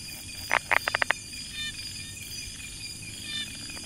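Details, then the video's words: Near Chiang Mai, Thailand, a brown tree frog in rice-field habitat gives a quick burst of about six clicky knocks in under a second, over constant high insect buzzing. "Amphibian acoustic I Brown Tree Frog - Polypedates megacephalus"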